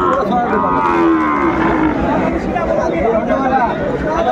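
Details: Sahiwal bull calves at a cattle market in Chuadanga, Bangladesh, on 16 January 2025; a loud lowing moo with a falling tone stands out against dense, continuous crowd chatter and market din.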